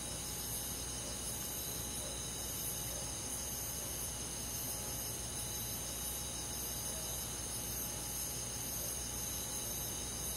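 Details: Crickets and other insects on a summer night in the forest, a steady high shimmering chorus with soft regular pulsing, over a constant low hum and faint background hiss.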